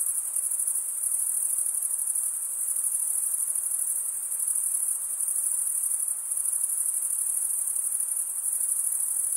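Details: Continuous cricket chirping, a thin high-pitched trill that pulses gently in strength but never stops, forming a uniform insect drone with nothing else audible.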